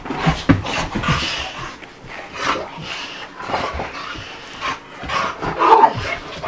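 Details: Bubba, a two-year-old American Bulldog, and Ruby, a five-month-old Dogue de Bordeaux, playing together: rough, breathy panting bursts come roughly every half second to second, mixed with scuffling and soft thumps of play.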